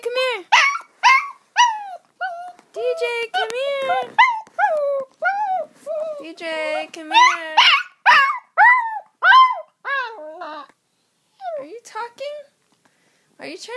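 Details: Young dog about one and a half years old howling indoors when its owner calls the other dog or talks loudly: a run of tonal, rising-and-falling howls and yelps, repeated rapidly, interleaved with a person repeatedly calling the other dog.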